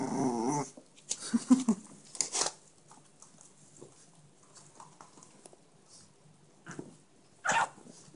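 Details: Chihuahua puppy, one of a blue and ginger litter in Minsk: a low growl and squeaky yelping bursts open the clip. A long near-silent stretch follows, broken by one more sharp yelp near the end, indoors.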